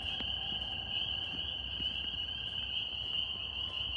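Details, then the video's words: A dense chorus of northern spring peepers in New York makes a steady, shrill, high-pitched ringing of overlapping peeps. "Tree frog sounds NY"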